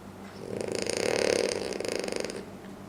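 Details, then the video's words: A French Bulldog snoring loudly while asleep: a single rasping, rattling breath that swells and fades over about two seconds, with a fluttering buzz through it and a faint steady hum behind. "French Bulldog Sleeps Like A Demon (Loud Snoring)"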